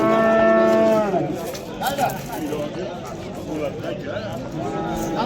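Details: One loud, steady moo from a bull at the Oqtepa mol bozori livestock market in Andijan, Uzbekistan, lasting about a second before breaking off, followed by crowd noise, voices and a fainter lowing at the end.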